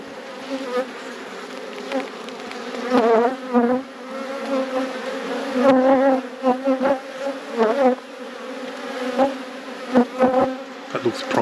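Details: Honey bees in a managed apiary during a hive inspection for capped honey frames: a steady, low droning hum with a clear overtone, swelling in louder pulses every second or two, with occasional clicks from the frames being handled.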